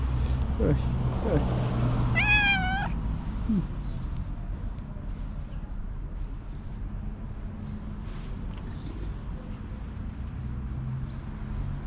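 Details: Tuxie, a female tuxedo cat, meows loudly while running to her owner after spotting her; one clear harmonic meow early on, then a person's voice calling and a low background rumble.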